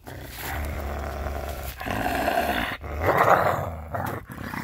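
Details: Scooter the coyote growls on May 13, 2021 while keeping a glove taken after being spooked; a harsh, rasping growl in sustained bursts that swells louder near the end, separated by short breaths.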